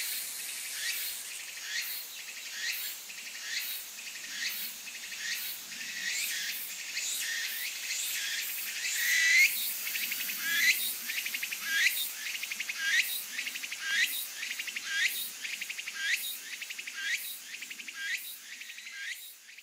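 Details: A Kaempfer cicada (Platypleura kaempferi) gives a continuous, shrill, hissing buzz that pulses in volume, while tilting its body to urinate.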